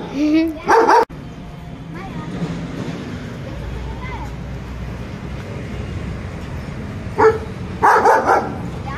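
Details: German Shepherds, one of five described as ready to attack, give a quick double bark, then fall quiet for several seconds before a single bark and a final cluster of three rapid barks, over steady background hiss.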